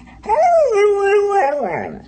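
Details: Dog vocalising in a talkative manner after being asked to tell about the coyotes: one drawn-out moaning howl that starts higher, slides down and holds level, then breaks into a rough, falling ending.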